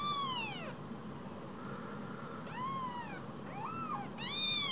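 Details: Two rescued baby kittens, each barely bigger than a mobile phone, give high arched meows, four calls over a few seconds, some falling steeply in pitch, against a steady low background hum.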